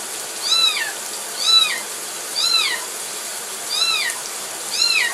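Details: Kitten crying while being given a bath: five high, arched mewing cries, each rising then falling, about one per second with short gaps, over a steady soft hiss.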